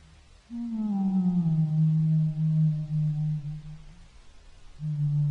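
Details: A humpback whale (Megaptera novaeangliae) sings a long, low, moaning tone that slowly falls, then resumes after a pause, as part of its song.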